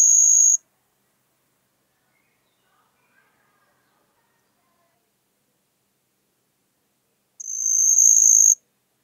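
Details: Pteronemobius heydenii, the marsh cricket, recorded in Puntigam, Austria, in early June 2022 with noise removed: two bursts of shrill, steady, very high trilling, the second lasting about a second, with seven seconds of silence between them.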